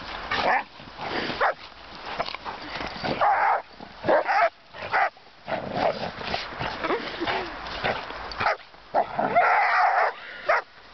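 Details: A Giant Schnauzer and a puppy of four months bark and yip in ragged runs, loud broad bursts alternating with brief pauses, the calls uneven in pitch and spacing over about eleven seconds.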